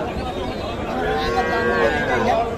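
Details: Cattle, small bulls and heifer calves at the traditional Kaharol cattle market in Dinajpur district, Bangladesh, recorded on Saturday 27 April 2024; a drawn-out lowing moo rises over busy market chatter and voices throughout.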